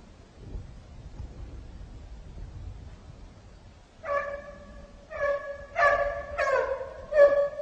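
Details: A Turkish scent hound (Kopoy) bays on a hare's trail in snow: ringing, drawn-out yelps repeated in quick bursts after quiet wind.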